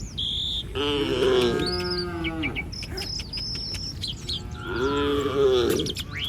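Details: Cattle from a herd of village cattle roaming the street. Two drawn-out, harmonic moos, each lasting over a second, are separated by a pause filled with high, thin bird chirps.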